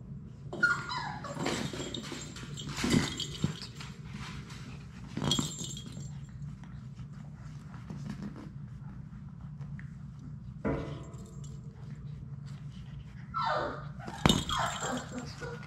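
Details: Six Labrador Retriever puppies playing together in their indoor puppy play room: brief high whining yelps that rise and fall, a few soft growls, and scuffling thumps and clatter of the litter at play.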